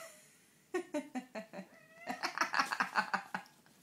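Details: Domestic cat being pestered by another cat indoors, giving a rapid run of short harmonic meows and caterwaul-like cries, some rising, repeated about twice a second and growing louder and denser toward the end.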